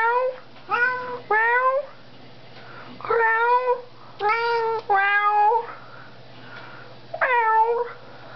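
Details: Pet cat indoors in the evening, meowing at its owner during a back-and-forth chat: six or seven clear, harmonic meows, some rising then falling, in quick pairs and singles, with a steady low electrical hum.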